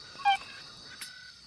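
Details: A male Bornean tree-hole frog, sugar-cube sized, calls from inside a dry tree hole in rainforest, using it as an amplifier. One brief, pure advertisement note to attract females rings over a high insect drone, with a faint click-like note after.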